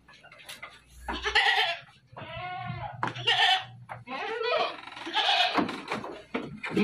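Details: Dairy goats at a farm in Bogor city, bleating in several loud, wavering calls with stacked harmonics, overlapping one another, with some human voices and clatter in the background.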